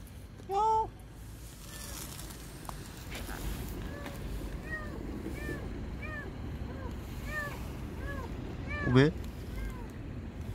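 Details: Palm-sized stray kitten mewing beneath a car during a rescue; a run of about ten short arched mews, roughly one every half second, over low traffic rumble, with a man calling to it and a sharp knock.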